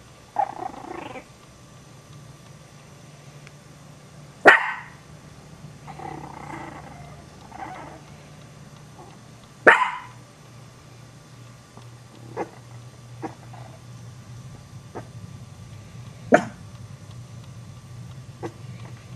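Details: Sparse, sharp single barks from Chihuahua puppies, spaced roughly five seconds apart, with softer muffled yips and whines between them over a low background hum.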